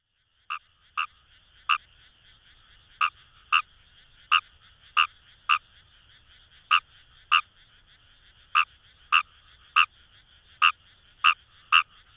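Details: Wild Fejervarya kawamurai calling in paddy fields along the Kamo River, Itoshima, Fukuoka, Japan: short harsh croaks repeated roughly every half second to second, with a steady band of background insect or frog chorus.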